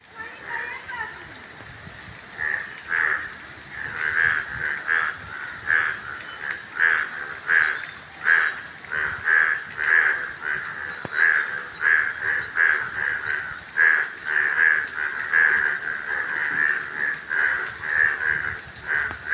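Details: Yellow frogs calling in a dense chorus of short, nasal, croaking bursts repeated over and over.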